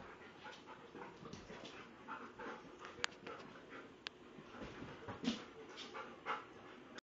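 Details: Alaskan Malamutes playing together pant heavily, with soft whimpers and rough breathy noises mixed with scuffling.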